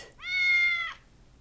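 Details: A single steady domestic cat meow lasting under a second, bright and harmonic with an even pitch and a slight rise at the close; a narrator's voice naming animals sits around it.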